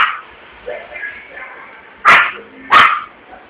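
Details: Scared Yorkshire Terrier at a commercial street in Vitória da Conquista, Brazil, after a balloon burst: voices at first, then two loud, abrupt yapping barks less than a second apart.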